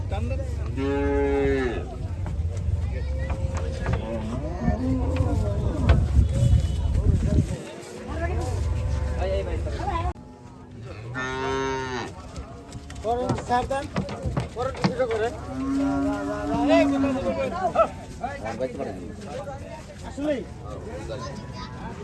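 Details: Gaiya cattle being unloaded at a cattle farm; repeated loud moos, some long and bending in pitch, with a brief quiet gap midway, over low-pitched machine-like rumble and faint voices.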